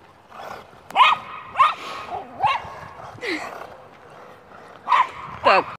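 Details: Welsh Terrier chasing a remote control car, uttering excited high whines and yips in uneven bursts, with a pause mid-clip before two more sharp cries, against a faint mechanical hum.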